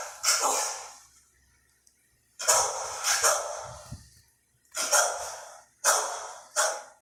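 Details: Indoor dog barking at a spinning Hampton Bay Huntington III ceiling fan, giving rough, hoarse bursts in pairs, about seven across seven seconds with short silent pauses, the room otherwise quiet.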